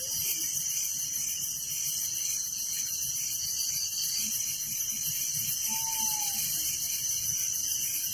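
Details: Crickets chirping at night in a village: dense high pulsed chorus of many insects, steady throughout, with one short whistled downslurred note midway and low rumbling background noise.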